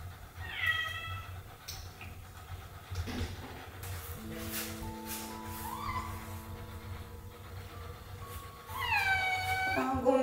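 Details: Male domestic cat on the day of his neutering surgery, at home with a family in Paraguay; one drawn-out meow near the start and another wavering meow at the end, with sustained musical tones and low hum between.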